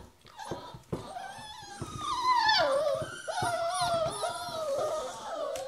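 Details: Several hungry puppies held in a small box indoors while their pen is cleaned in the morning, crying for breakfast: overlapping high whines and yelps, wavering and sliding downward, with scratching and rustling in the box.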